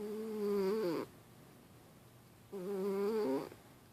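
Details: Sleeping house cat Milo, dreaming in REM sleep, gives two humming snores about a second long. Each snore holds a steady low pitch, then bends and fades, with a silent pause of over a second between them.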